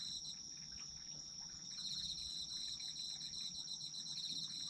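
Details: Calling autumn insects: steady high ringing tone with pulsed chirping that grows louder midway and continues, several insects overlapping, faint background hum.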